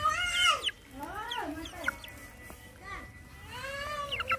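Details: Hungry small puppies being fed beside their mother give arching, harmonic whines that swoop up and then down, one after another with brief gaps, over low background rumble.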